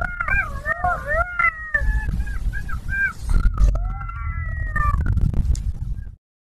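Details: Golden jackal (Canis aureus), howl.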